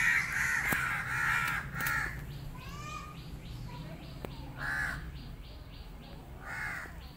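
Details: Abandoned male kitten, now with a new family that took him in, gives short arched meows in bursts, with gaps of quieter rustling and soft background hum between calls.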